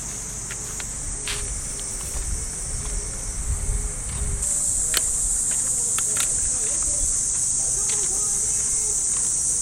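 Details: Early summer morning in a Japanese park, with cicadas keeping up a continuous high, shimmering buzz that swells louder midway. Faint radio calisthenics music plays in the distance, with clicks and footsteps on the path.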